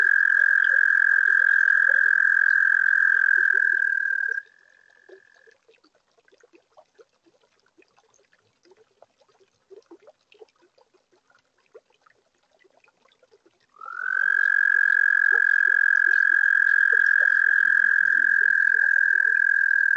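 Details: Toads singing at a pond on a warm spring night. A long high trill cuts off after four seconds and a weaker one fades briefly. Then come nine seconds of soft clicking chorus before a new sustained trill rises in and continues.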